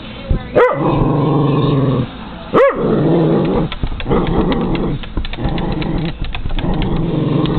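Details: A male Cairn Terrier, who hates birds, confronts crows and seagulls: a low, continuous growl broken by two sharp, ringing barks, then a fast, uneven run of short yapping barks.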